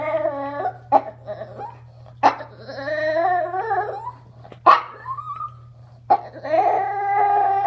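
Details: Chihuahua, an eleven-year-old female pet, talking during a bath: moaning, wavering howls with sliding pitch, cut by sharp yelps and a short rising whine, then another long warbling howl; low electrical hum in the background.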